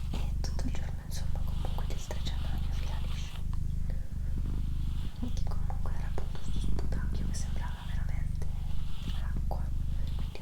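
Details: Doroti, a domestic female cat, purrs in a rhythmic low drone, pausing for breath roughly every second, as quiet whispered speech and soft clicks continue over it.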